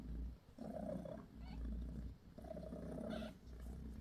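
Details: Mother cat Bassy, a British Shorthair, gives her kittens a massage, purring in two long rumbling waves separated by a short quiet inhale, steady and low.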